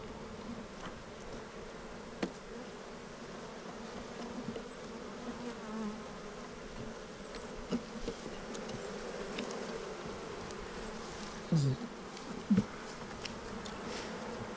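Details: Honey bees humming continuously in an opened hive as burr comb is scraped from a frame; an even drone with scattered scraping knocks and a few sharper clicks toward the end.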